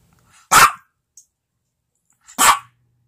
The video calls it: My dog barking